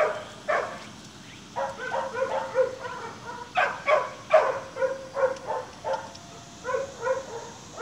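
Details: Staghound puppies almost seven weeks old playing, their chase instinct switching on; a run of short, high yips and barks repeated in quick bursts with brief gaps between them.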